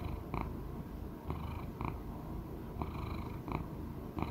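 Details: Choux, an elderly male Persian Chinchilla cat of about sixteen, purring at home; a continuous low rumble broken by brief brighter pulses recurring roughly every half second to second.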